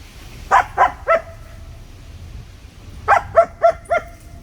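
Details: Sangi, a German Shepherd puppy who loves his sticks, barks in two quick bursts during play: three sharp barks, a pause of about two seconds, then four more.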